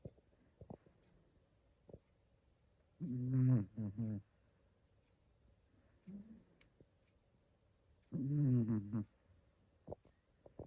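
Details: Asleep, a Shiba Inu snores twice, about five seconds apart: each a low, rasping, harmonic rumble lasting around a second, with small clicks and soft breathing between them in a quiet room.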